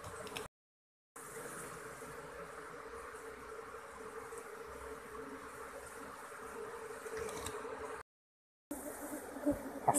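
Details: Apis cerana colony in a hole-riddled log, the queen hard to lure from the cavity during transfer: a sustained steady hum with clear tonal bands, broken by two short gaps, and scattered taps at the close.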